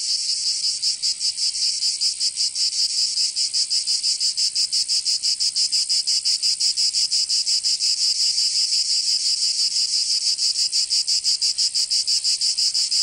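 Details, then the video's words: Cicadas singing in summer in Provence, southern France: a dense, harsh buzzing chorus pulsing steadily about three times a second, with no other sounds. "Canto Cigarra 🦗 [ Escuchar les cigarras en verano 10 H]"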